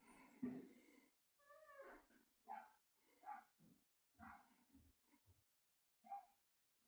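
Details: Dog vocalising in a run of about seven short, tonal, harmonic yelps and whine-like cries over seven seconds, spaced irregularly with brief silences between them; no other clear sounds.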